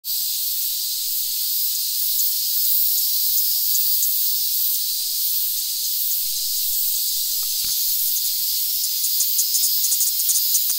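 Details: Platypleura kaempferi cicada held in the hand, Tokyo, Japan, August 3, 2021: a steady, very high hissing drone, continuous throughout, with faint clicks and pulses creeping in toward the end.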